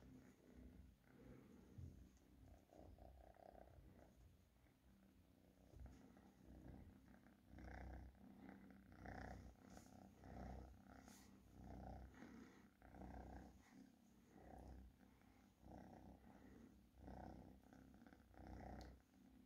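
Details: A pet cat purrs continuously, a deep rumbling throb that swells and fades in regular pulses, roughly 45 per minute, close and quiet indoors.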